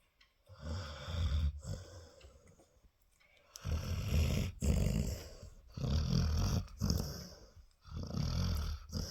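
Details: A female Labrador, a mother dog, dreams and snores in low, rumbling bursts of a second or two with brief pauses, in a quiet indoor room while her puppies nurse.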